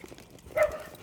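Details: During a leashed walk past dogs behind fences, a dog gives a single loud, short, mid-pitched bark, somewhat distant, against a quiet background.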